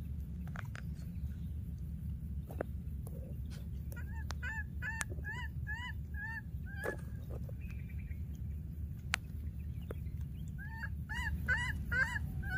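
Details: Lonely baby monkey, wild, calling after losing its playmate: two clusters of brief arched whimpers, one around the middle and a faster, denser flurry at the end, with scattered clicks and a low rumbling drone.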